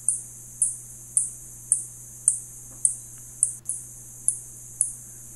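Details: Spotted bat calling in a steady series of short, high-pitched clicks, roughly one every half second, about ten in total, over a faint constant low hum.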